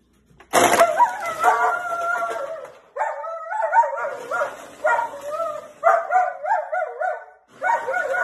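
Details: A German Shepherd barks at a juicer, giving wavering, whiny barks in bursts about a second long after a sharp clatter.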